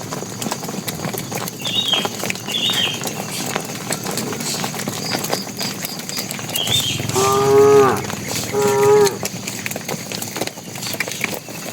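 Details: Tame bull walking with cattle toward the pen, calling the cows: two short harmonic moos late in the recording, each under a second, amid rustling, faint bird chirps and steady background noise.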